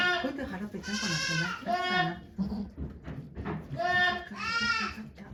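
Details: Goats at Yoshigake farm in Japan on 3 May 2023, during the birth of two kids to the nanny goat Okayu. Four harmonic, wavering bleats come in two pairs, with people talking quietly between them.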